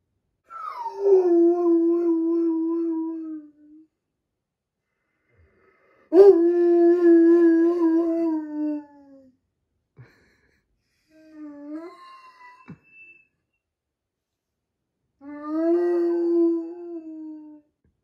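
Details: Big Doberman crying while its sister undergoes surgery: long mournful howling whines that start high, drop and hold steady, repeated several times with short gaps and a brief softer whimper between, indoors.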